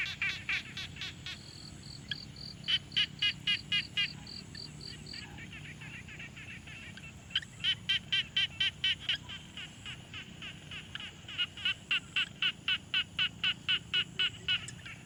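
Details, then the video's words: Quiet pond field recording with a Tascam Portacapture X6 of frogs calling: three bouts of rapid, evenly spaced raspy pulses about four per second, separated by brief lulls, with a second higher note series early on and a steady natural hum beneath. "Frog Sounds"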